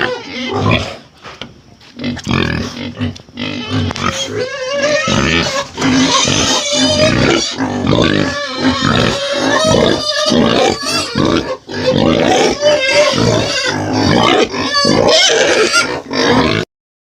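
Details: Pig sounds used to introduce the animal to children: harsh, noisy grunts and squeals in dense overlapping bursts, almost continuous after the first second, with a little speech mixed in.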